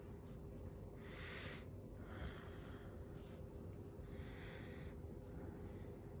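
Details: Shiba Inu sneezing during its daily routine: two breathy, hissing bursts around the first and fourth seconds over a steady low hum, with faint soft clicks in between.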